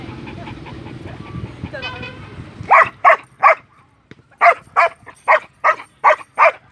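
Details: Belgian Malinois from Vietnam barking repeatedly: about ten loud, sharp barks in quick bursts, spaced roughly a third of a second apart in groups, after a brief stretch of low background noise and a faint voice.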